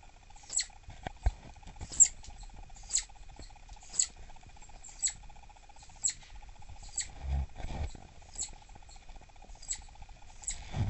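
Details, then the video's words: Irritated southern flying squirrel, a captive female believed pregnant and aggressive toward cagemates, giving sharp high squeaks about once a second, with faint rustling and thumps in an indoor enclosure. "미국남부날다람쥐 짜증났을 때 울음패턴"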